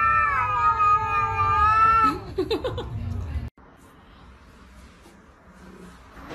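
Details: Domestic cat giving one sustained, wavering yowl for about two seconds that breaks into short choppy notes, followed by a quiet indoor room hum.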